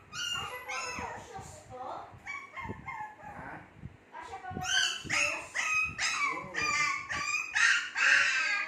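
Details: Shih Tzu puppies in their second month make a busy chorus of squeaky whines and quick yips, steady at first, then louder and denser in the second half.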